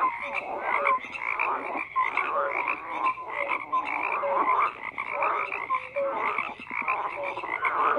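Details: Chorus of frogs croaking together, a steady wall of rapid pulsed calls and short rising notes from many animals, overlapping continuously without a break.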